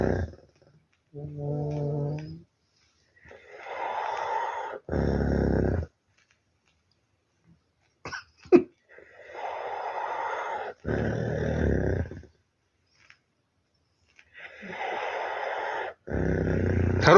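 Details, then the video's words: Dog snoring indoors, compared to a tractor: deep, rattling rumbles, each about a second long, recur every five to six seconds, with softer breathy sounds between them and a brief whine-like tone near the start. "Храпящий пёс трактор"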